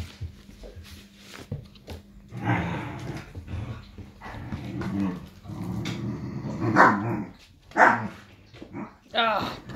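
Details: Irish Wolfhound puppies, five and a half weeks old, playing together indoors: low rumbling growls build in the middle, broken by short sharp yelps and a high whining yip near the end.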